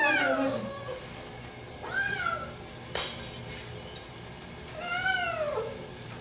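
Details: Pet cat, one of four housecats named Byeol, Dal, Bam and Bom, meowing on bath day, 2 September 2018, in a small indoor room; several drawn-out, falling, harmonic-rich meows a second or two apart, with a sharp click between.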